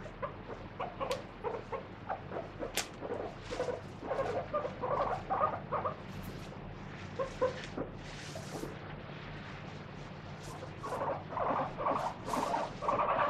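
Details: Pet guinea pig Moru-chan, free-roaming indoors, screaming while caught and scrubbed with a wet tissue during a body check; scattered short squeals, clustered more densely near the end, over handling rustles and a low steady hum.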